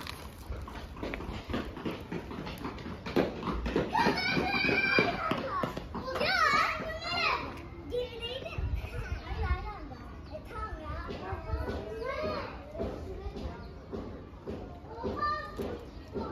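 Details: Stray cats being fed on the street give overlapping, wavering meows that rise and fall, clustered mid-clip, with clattering, knocks and human voices around them.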